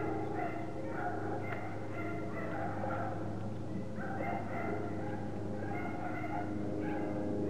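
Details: Several Parson Russell Terrier puppies whimper and yip in quick, uneven clusters of thin, tonal cries, heard against a steady low mechanical hum.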